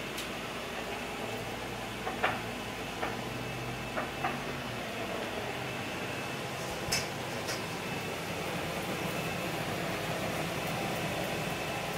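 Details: Steady indoor room hum with a few soft knocks and clicks, like doors or cupboards, and no animal voice.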